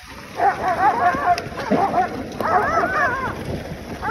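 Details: Excited Alaskan Husky sled dogs in Alaska during June summer training give wavering, sliding howls and yips in two short bursts, with kennel noise underneath.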